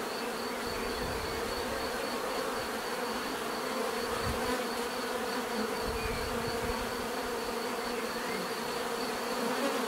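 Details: A steady wash of bee buzzing, thick and unchanging, with soft low thumps scattered through it.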